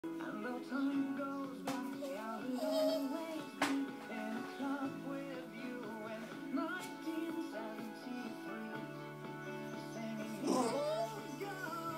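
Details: Music with a sung vocal melody and instruments plays throughout, with no animal sound.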